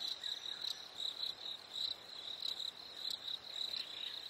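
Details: Chirping cricket on a summer evening, giving quick bursts of high, pulsing notes that come in irregular clusters over a soft, quiet night backdrop.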